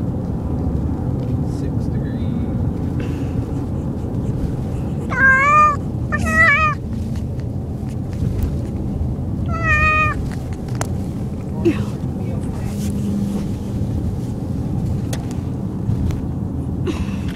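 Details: A male domestic cat, car sick, meowing on a car ride: three short, clear, rising-and-falling meows near the middle, two close together then one more, over a steady low engine and road rumble.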